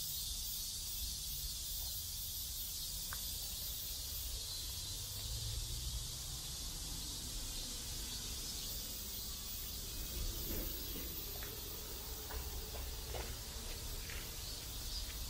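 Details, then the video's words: Cicadas drone steadily in a South Korean neighbourhood, a constant high buzzing wash, while brief clicks and knocks and a low rumble sound in the background. "South Korean Neighborhood Sounds Cicadas"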